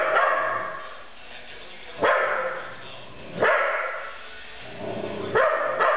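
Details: Domestic dog barking at someone: three sharp, abrupt barks roughly one to two seconds apart, over ongoing indoor room noise.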